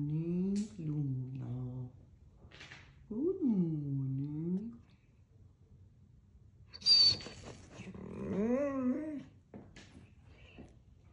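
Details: A female Weimaraner gives a morning howl in short, mournful bursts, her voice swooping up and then sliding back down.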